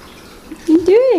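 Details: F2 Savannah kitten James, about three and a half months old, during one of his first days indoors playing with his Bengal sister; a short tonal meow swells and arches up then down, preceded by faint room sound.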